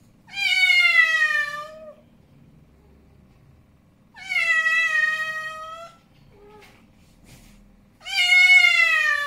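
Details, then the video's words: Snowy, a male cat described as angry, utters three loud, drawn-out yowls with a tense, nasal tone, each near two seconds long and spaced a few seconds apart, with a faint brief sound between. "Angry Male Cat Sound - Scary"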